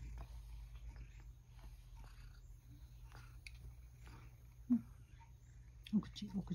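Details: Sacchan, a rescued male cat back from outdoors, purrs while being brushed indoors and angling for a treat; a steady low rumble runs beneath soft brushing strokes, with a woman's voice and two short higher sounds near the end.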